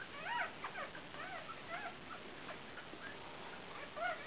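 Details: Five Fell terrier puppies, broken-coated Patterdale terriers born that day, 29 July 2012, four boys and one girl, squeaking in overlapping high, arched whimpers that tumble over each other almost continuously.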